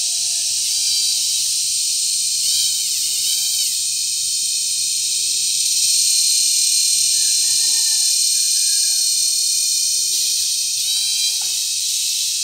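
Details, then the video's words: Cicadas mating and calling loudly at Sitio Bagumbayan, Brgy. Balabag, La Carlota City, Negros Occidental, on July 18, 2020, during cicada season. A dense, piercing buzz runs without pause for the whole clip, accompanied by occasional thin whistled notes well below it. "Pinaka Maingay na Insekto sa Buong Mundo | Cicada Season | Cicada Mating"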